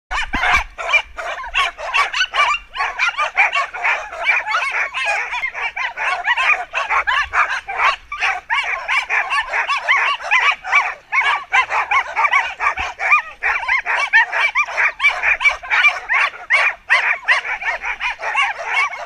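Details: Team of mixed-age Samoyeds pulling a rig in a UK forest, one wheel dog nearly ten years old. Continuous, dense, high-pitched barking and yipping from several dogs overlaps without pause, rapid and irregular throughout.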